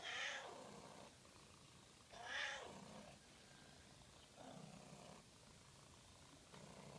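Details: Domestic cat giving a really strange, weird meow: four drawn-out harmonic meows about two seconds apart, the first two loud and arching, the later two softer and lower, over a faint low rumble.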